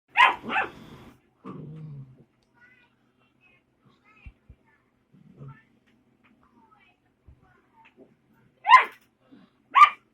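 A puppy gives short, high-pitched yips in pairs, separated by quiet gaps.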